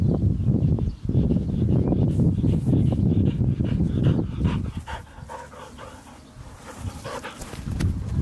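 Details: Happy dog playing fetch with his squeaky ball, panting in quick breathy puffs about twice a second, strongest in the second half, after heavy low rumbling noise through the first few seconds.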